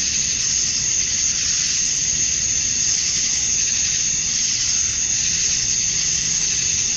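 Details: Summer-dusk chorus of male cicadas in Georgia, USA, calling to attract females. A continuous, shrill, buzzing wall of sound holds a sharp upper edge with only slight pulsing in loudness. Faint low background hum.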